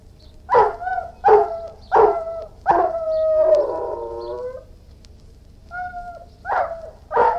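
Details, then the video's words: Irish Wolfhound giving four short sharp barks roughly every three-quarters of a second, then a drawn-out wavering howl, a quieter tonal whine and two more barks. "Irish Wolfhound, Howling, Barking & Whining"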